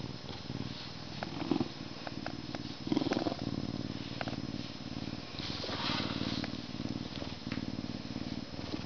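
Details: Canada lynx purring steadily in a low, rumbling pulse, with a couple of brief higher tonal notes near the two- and three-second marks and some soft rustling.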